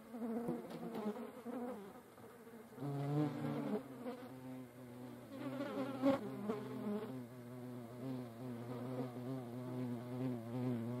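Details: European hornets fighting each other, recorded in nature in the Eifel: a droning, wavering wing buzz with shifting pitch. It swells louder around three and six seconds over a steady low hum.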